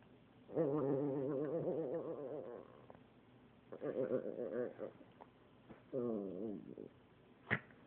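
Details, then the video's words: Pet dog making funny noises during play: drawn-out, wobbling, moan-like vocalizations in three bursts, the first about two seconds long and the last a brief rising whine. A sharp click near the end. "My dog makes funny noises"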